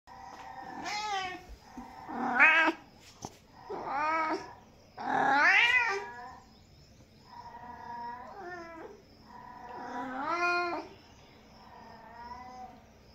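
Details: Domestic cat meowing repeatedly, a series of drawn-out, wavering meows with rising and falling pitch, some loud and strained, about six calls over thirteen seconds with short pauses between them.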